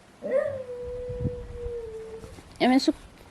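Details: Pet male West Highland White Terrier 'chatting' with his owner, who talks to him in a child-like tone: one long, level, clear whining note held for about two seconds, then a short, rough vocal burst.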